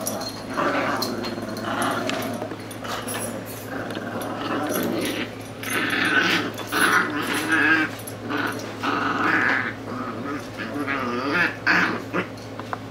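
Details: Two Chihuahuas playing together on a couch indoors, recorded in 2016; continuous rough growling rises and falls in bursts throughout, with snuffling and rustling between the louder growls and a steady low hum behind.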